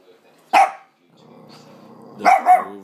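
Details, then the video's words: Frightened Lhasa Apso reacting to the hoover: one sharp bark, then a low steady hum and a double bark at the end. "Dog scared of hover"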